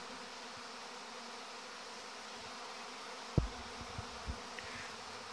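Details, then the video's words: Honey bees on 17 August 2019 during the orientation flight of young bees, a crowd that can be mistaken for robbing; a steady low hum from many bees, with one sharp knock midway and a few soft thumps after. "Zborul puietului de albine luna august , albinele in august"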